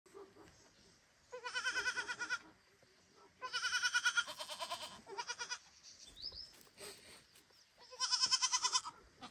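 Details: A baby goat gives loud, quavering bleats, repeatedly calling for its mother, calming only when she answers.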